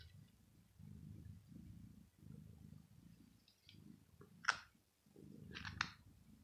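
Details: Male domestic cat purring while petted on the head, resting on a floor carpet on a very hot day; low rumbling purr in steady pulses about every 0.7 seconds, with soft rustling of the hand on fur.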